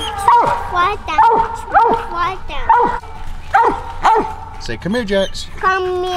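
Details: Hunting dog baying on a family coon hunt with mountain cur Jax and Walker female Cece along: loud, drawn-out bawling barks with falling tails, repeated about once a second, ending in a few higher yelps and a short whine.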